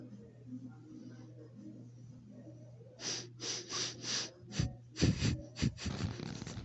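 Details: A female puppy sniffs the camera in quick, breathy bursts after a quiet start over a low, steady hum.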